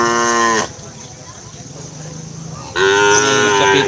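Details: Racing cattle at the Asemanis track in Pamekasan, Madura, East Java, Indonesia, where Kerapan Sapi bull races are held. Two loud, harmonic moos split by a quiet gap of about two seconds, with low background murmur.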